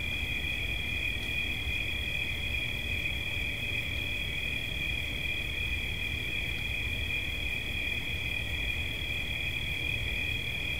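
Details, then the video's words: Cricket heard as relaxation sound, giving a constant high trill of two close tones that stays level throughout, with soft low rumbling noise underneath. "Świerszcz. Dźwięki relaksacyjne"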